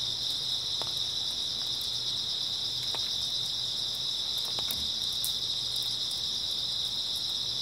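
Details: Early autumn night chorus of grass insects, a continuous high-pitched trilling wall from many insects with no pauses, scattered soft clicks and a faint low hum in the background.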